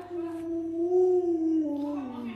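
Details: Pet Alaskan Malamute Lolo, indoors with its owner during a pretend dog-meat hotpot meal, voices a drawn-out tonal howl that rises slightly midway and then falls away, layered with clear harmonics, faint talk in the background.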